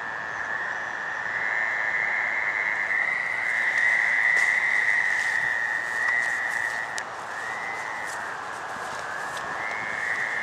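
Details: Gray treefrogs give mating calls in a dense chorus, a steady ringing drone of overlapping trills, in a drainage swale at North Burial Ground on the night of May 11, 2013.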